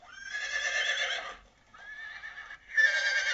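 A horse whinnies in three quavering, harmonic-rich bursts, the first long, then a softer middle one and a strong final rise, with no other clear sounds.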